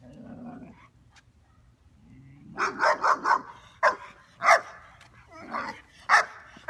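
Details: Omega, a young female German Shepherd described as dog reactive, barks during off-leash training in Virginia while reacting to other dogs: a burst of sharp, loud barks in uneven succession, about seven in all, after a quiet low murmur.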